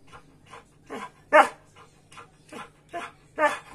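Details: Samoyed asking for its breakfast, as it does every morning, giving short soft barks and yelps spaced about every half second, some louder than others, indoors.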